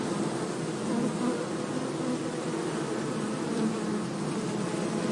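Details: Droning of many honey bees as a forest colony near Hebri is transferred from an anthill into a beekeeping box; a continuous low hum with slight wavering in pitch runs throughout.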